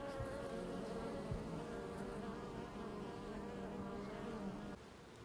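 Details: Honey bee buzzing as a continuous, slightly wavering drone with a low hum and a thin higher whine, steady for about five seconds before fading quieter at the end.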